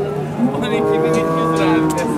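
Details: Simmental cattle at the Şarkışla animal market in Sivas, Turkey, during bargaining; a long, low, steady moo with rich harmonics fills the clip, with market chatter and vehicle noise behind.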